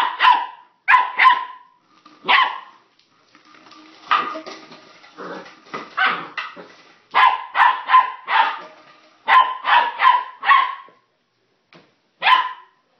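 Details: Excited puppy Sun among plastic bottles, volleys of shrill yappy barks, some doubled, a stretch of rustling crinkly noise mid-way under softer yaps, then quick triplets and a final single bark.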